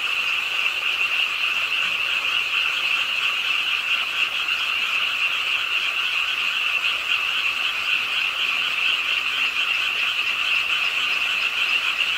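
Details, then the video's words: Many frogs calling together beside a city park pond in Suwon, South Korea, late at night during rainfall; an unbroken wall of fast, trilling croaks, evenly loud throughout, with no pauses between callers. "빗소리와 함께 듣는 개구리 우는 소리"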